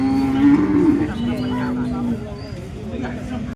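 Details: Holstein Friesian cow at the Loni cattle market, 10 February 2026: a low, steady moo held for about two seconds with a brief throaty start, then fading, with faint human voices nearby.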